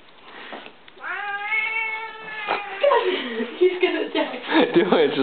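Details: Pet cat, a male, described as attacking when he does not know what to attack; drawn-out harmonic meows rising and falling, followed by a wavering yowl, with people talking and laughing indoors.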